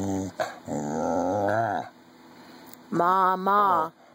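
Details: Jr, a 14-year-old red heeler, indoors in a small room, prompted to say "mama" for a candy reward: a drawn-out, moaning, harmonic vocalization, then a two-syllable "ma-ma" sounding groan after a short pause.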